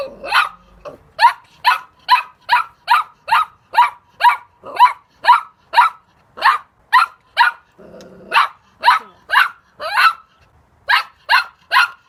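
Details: Puppy giving a long run of quick, sharp, high yaps at an even pace, broken once by a short low growl before the barking resumes.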